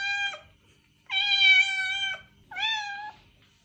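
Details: Repeated cat meows meant to lure a stray cat: a short falling meow, then a long level meow of about a second, then a briefer rising-falling meow, clear and close in a quiet setting.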